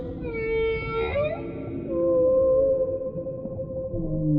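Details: Whale voicing a series of tonal cries: a harmonic note ending in a quick upward sweep, then lower wavering moans that rise and dip, over continuous underwater rumble.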